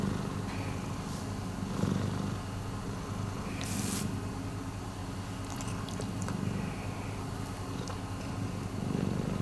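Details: Miiko, a rescue cat, purrs continuously in a deep rumble rising and falling with breathing; a short hiss-like rustle and some faint clicks interrupt briefly.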